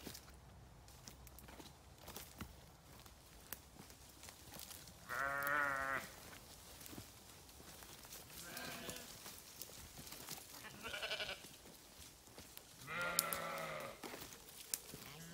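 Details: Sheep give four separate wavering bleats spaced a few seconds apart, some loud and harsh, others softer and more distant, over a steady low background hiss with occasional soft knocks.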